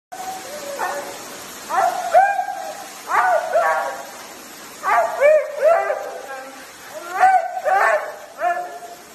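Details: Siberian Husky talking: a run of yowling, wavering calls in short bursts, each rising then bending down, repeated about every second or two, with pauses between phrases and a faint background hiss.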